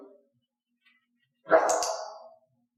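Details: A pet dog, Elaine, in clicker training for barking, gives a single loud, drawn-out bark lasting nearly a second. A brief soft sound comes before it, then silence.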